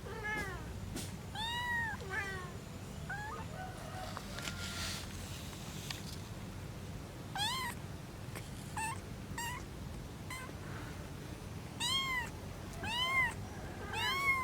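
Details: Mother cat with her three kittens: several high arched meows and short mews scattered through the clip, some overlapping and rising then falling, over a steady low background hum.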